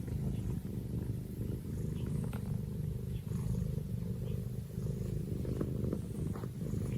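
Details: Pet cat purring steadily in a close, immersive recording: a continuous low rumbling purr with rhythmic pulses, faint soft clicks and rustles above it.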